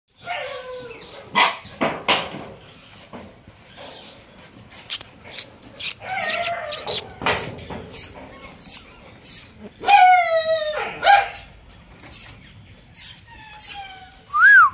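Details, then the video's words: Show-quality female Chippiparai puppies, vaccinated, at a farm in Krishnapuram, Rajapalayam taluk, give scattered high whines and yelps that bend up and down, with a longer falling whimper near the end, amid frequent sharp clicks and taps. "Show quality Chippiparai Female Puppies available."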